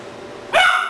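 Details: Three-month-old Doberman puppy Rahab indoors in Cebu City, Philippines, October 2009, reacting to a stuffed toy puppy as if it were a real dog; one sharp, high yelping bark breaks a quiet room.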